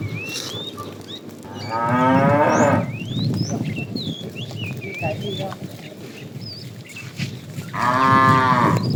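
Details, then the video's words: Tame cows wandering along a road in search of food give two drawn-out, rasping moos, one near the start and one at the end, while birds twitter and whistle throughout and a low rumble of background noise continues. "Funny cow sounds"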